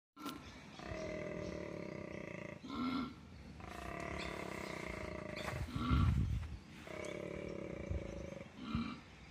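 A koala bellows in long, deep, rasping phrases, a snoring roar broken by short grunting breaths, as a mating call.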